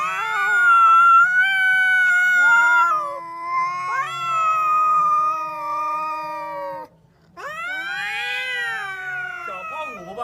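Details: Two cats squabbling: a chain of long, wavering yowls with overlapping voices, pitch steps and slides, a brief pause, then a louder rising howl breaking into rougher, strained tones.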